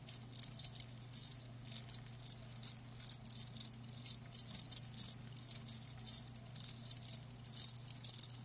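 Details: Live crickets give short bursts of shrill high trilling, roughly two per second with clear gaps between groups, over a low continuous background hum.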